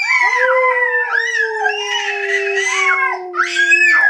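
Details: Domestic dog howling together with two other dogs in early April 2011: long overlapping sustained tones, one steady low howl beneath higher wavering voices that rise and fall, continuous for about four seconds.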